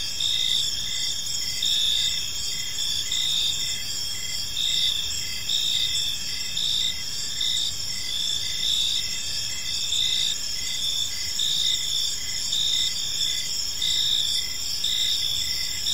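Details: Evening park chorus of crickets, several insects chirping together in high, steady trills with rhythmic pulses recurring about once a second, continuous throughout over a soft low background hum.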